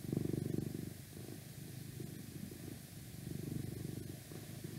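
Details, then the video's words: Domestic cat purring continuously close to the microphone indoors, a dense, fast-pulsed low rumble that rises and eases with each breath, loudest at the start and again near the end, with steady background hiss. "ASMR Request Cat Purring"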